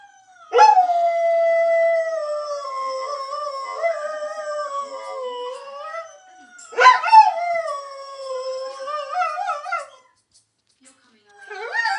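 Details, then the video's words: Lurcher singing in two long wavering howls, the first held and gently undulating, the second rising then dipping, followed by silence and the start of another howl. "The Singing Lurcher"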